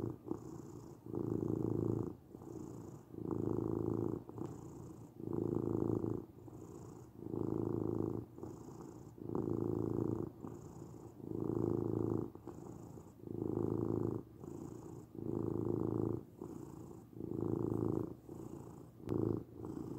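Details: Domestic cat purring continuously for twenty seconds, a low, even rumble in steady breath cycles roughly every one and a half seconds, calm and close.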